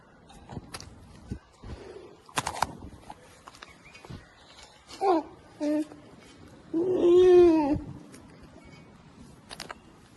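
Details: Curious polar bear cub investigating a camera and growing indignant: scratching and knocking handling noises, then short whiny calls followed by a longer, louder moaning whine with rich harmonics near the end.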